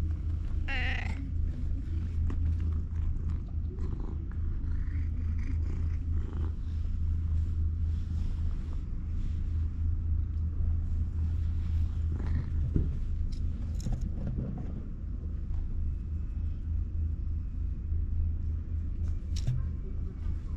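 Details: A raspy-voiced ginger tabby cat that has come over to be petted gives one brief, hoarse meow over a steady, deep rumbling purr.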